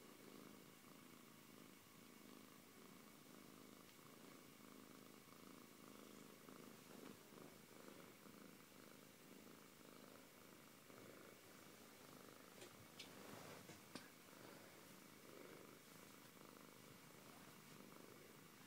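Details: Steady purring from Antey, a Siberian cat: a soft, low rhythmic rumble pulsing with the breath, with a few faint clicks and rustles near the middle.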